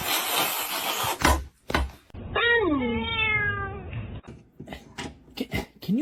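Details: Domestic kitten giving one long descending meow with strong harmonics after a noisy hissing stretch, followed by clicks, taps and a short rising mew at the end, with people chatting nearby.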